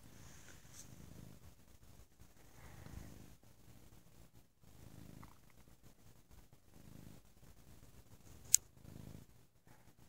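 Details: Soft, low purring from Bo the cat on a lazy Sunday, in quieter breath-timed pulses every two seconds or so, with a sharp click near the end.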